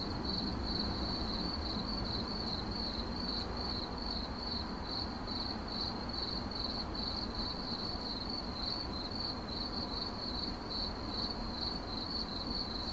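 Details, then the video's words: Cricket chirping, processed as 8D audio: a steady high-pitched trill of rapid pulses at one constant pitch runs throughout, over a dense low rumbling background noise. "CRICKET CHIRPING"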